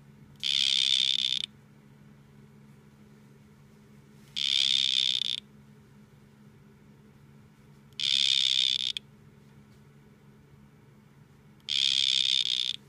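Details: During a face-off between two male dart frogs, four steady buzzy trills of about one second each repeat every three and a half to four seconds above a soft, constant low background hum.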